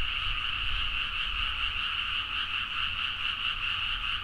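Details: Frog chorus at midnight in rice paddies in Nagaoka, Niigata, Japan, recorded on a Zoom H4n: a dense, continuous wall of overlapping croaks forming steady bands, with no single caller standing out and a low hum underneath.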